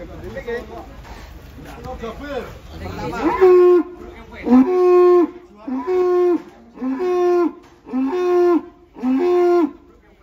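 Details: Large cattle unloaded from a truck, calling loudly: a run of six steady harmonic moos roughly once a second, each about half a second long, following confused noise and voices at the start.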